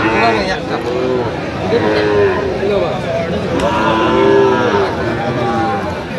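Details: Sahiwal bull calves at Aftabganj market, 28/9/25, bought by Dhaka farmers. Sustained mid-pitched lowing comes in two or three long, even moos over a constant hum of people talking and market noise.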